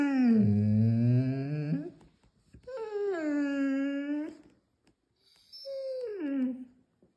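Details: Irish Setter giving three drawn-out tonal howls, the first low and wavering, the next two starting higher and sliding downward, each lasting one to two seconds with short pauses between, indoors in a small room.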